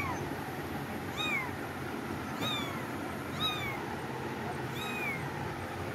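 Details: Cats meowing in a steady series of four clear, arched cries roughly every second, each sliding down in pitch, over a soft continuous hum.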